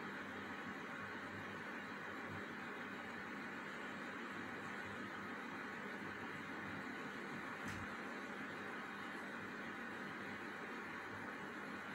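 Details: Steady broadband hiss, like an appliance or air conditioner, with one short click near the end and no animal sounds.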